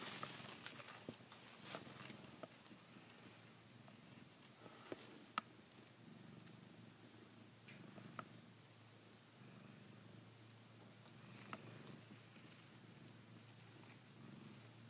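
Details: Savannah cat biting a blanket as if gripping a female cat's neck; a soft, steady, low rumbling purr runs through the whole stretch, with faint clicks and small rustles from the blanket.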